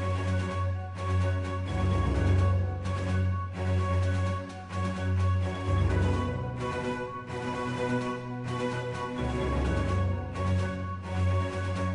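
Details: Loud theme music with a heavy, pulsing bass line fills the whole stretch, and no animal is heard.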